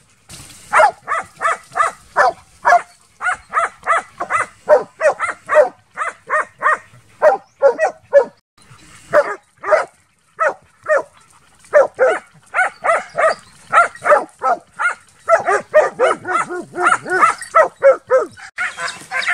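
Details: Rhythmic, insistent baying from young Transylvanian Hounds during intensive summer wild boar hunting training, short barks repeated several per second with small gaps, some voices rougher and overlapping near the end.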